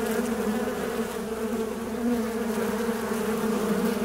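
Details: Fly buzzing close by, a dense low hum with layered overtones, steady and unbroken through the whole four seconds.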